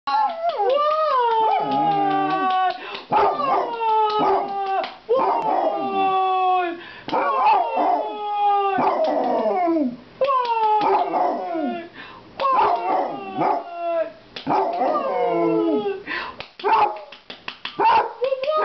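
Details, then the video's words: A Basset Hound, at home on a couch in Wooster, Ohio, gives a run of deep, wavering howls that rise and fall, with short yips between. "THE BASSET HOUND HENRY HOWLING ON COUCH OF WOOSTER OH"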